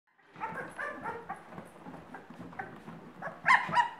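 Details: Two-week-old Irish Setter puppies in a litter, giving many overlapping soft squeaks and whimpers, with a louder burst of high squeals near the end.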